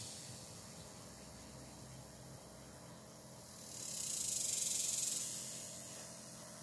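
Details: Hot July day with very active cicadas: an even, sizzling high drone, then a stronger surge from about four to five seconds before settling back.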